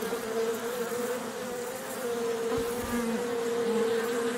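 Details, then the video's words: Several overlapping buzzing tones from honey bees, a dense, slightly rough hum with shifting pitches over a hissy background. "Honey Bee"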